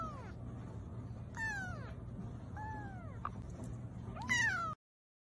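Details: Baby cats mewing repeatedly: four short, falling meows spaced about a second apart, the last one louder and sharper, then the sound cuts to silence.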